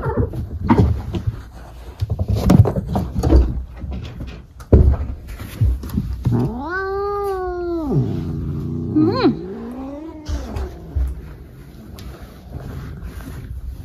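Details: Maple the cat during a bout of zoomies indoors: scrambling thumps and bumps, then a long, drawn-out meow held at a steady pitch, followed by a shorter meow that rises and falls, with more knocking noises around it.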